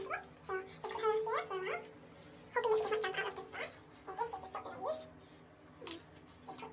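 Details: Indoor domestic guinea pigs (Cavia porcellus) squeal in short upward-sweeping whistled notes, a burst near the start and another after a pause, then softer rustling and scattered clicks.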